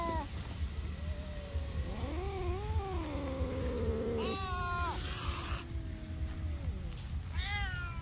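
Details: Cat in a tree voicing anger with a long, wobbling caterwaul that climbs, holds and warbles for several seconds, then sharper descending yowls and a final rising wail, against constant low background rumble.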